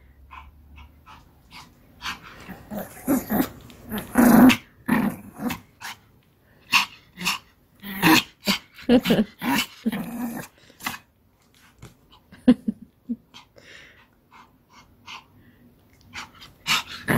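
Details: Pomeranian Kim Sarang plays ball inside the house, producing short rasping growls and sharp snorting bursts in an irregular run, busiest in the middle, with quiet gaps and room noise between.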